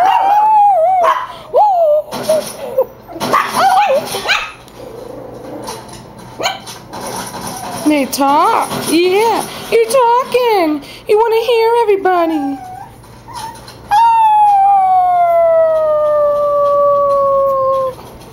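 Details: Chihuahua reacting to an annoying whine with wavering yips and rising-falling whimpering cries, a human voice speaking over the middle, then one long steady howl slowly falling in pitch at the end.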